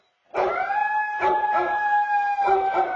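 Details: Basset Hound acting as an alarm clock for its owner; one long, steady, mournful howl held for nearly three seconds at an even pitch, with rough baying pulses mixed into it.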